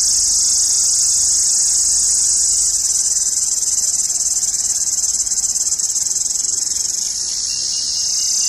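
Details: An Indian cicada sings in summer: one continuous, loud, shrill, high buzz that holds almost perfectly steady, barely wavering in loudness and dipping only slightly near the end.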